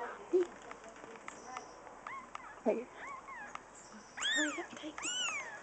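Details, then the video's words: Newborn kittens on their day of birth, born May 18th, giving thin high rising-and-falling mews in short scattered bursts, with faint speech and background music. "Day Old Kittens"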